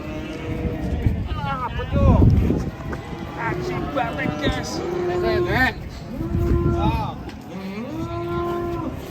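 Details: Cattle mooing during a failed attempt to load them: several long, flat, steady moos of about a second each, coming one after another, over loud overlapping human voices and shouting.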